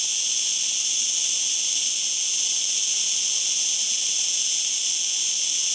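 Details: Song of a cicada, a dense, unwavering high-pitched drone that holds constant for the whole stretch with no pauses.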